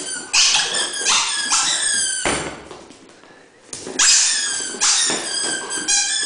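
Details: Playing Dobermann; a series of high, squeaky whining yelps with harmonic overtones, in bursts separated by short pauses, with a quieter stretch midway.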